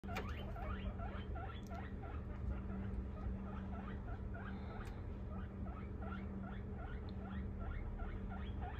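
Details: One of two 3-month-old guinea pigs, a female English and a male Abyssinian, gives a steady run of short, high squeaks, several each second.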